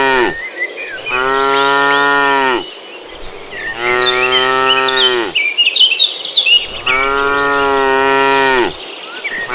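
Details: Cows walking as a herd along a forest road in the afternoon, three loud sustained moos each roughly one and a half to two seconds long, with chirping birds and insect buzz between them.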